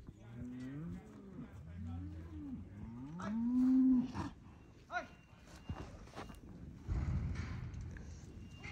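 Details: Herd of 19 Angus/Black Baldy, Red/Red Baldy and Charolais Cross cows, aged three to five years and bred: several low moos rising and falling, ending in one long drawn-out moo, followed by thumps and shuffling.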